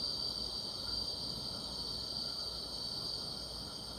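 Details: Grass insects fill a summer night with a dense, continuous chorus of high ringing trills, several pitched bands overlapping into an even, shimmering wash.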